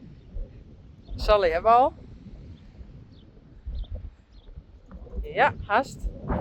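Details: Friesian horse giving two short quavering whinnies, each a wavering, shaky tone lasting under a second, spaced about four seconds apart, over a low rumble of wind outdoors.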